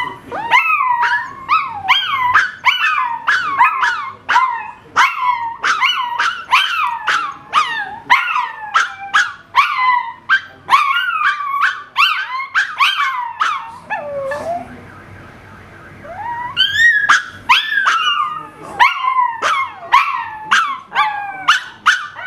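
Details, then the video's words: Miniature Pinscher male howling at a car alarm from its owner's bed: rapid series of short, yelping howl notes, each swooping up then down, nearly twice a second, a brief low whine midway, then the yips resume. "Mini pinscher howling in his natural habitat"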